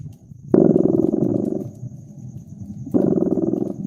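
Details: Cat purring near a crackling fireplace in winter ambience: two long, low, buzzing pulsed rumbles separated by a quieter pause, with a faint steady high tone in the background.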